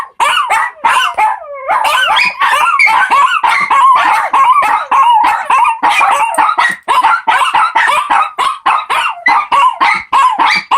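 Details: Four Shih Tzu puppies singing together indoors, a dense overlapping chorus of short yips and barks mixed with wavering, rising and falling howl-like whines, steady and busy throughout with a brief pause near two seconds.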